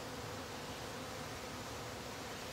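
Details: Honey bees in a top bar hive as its bottom board is closed, a dense steady hum filling the clip with a faint tone near the middle pitch, quieter than the rest, with soft rustling.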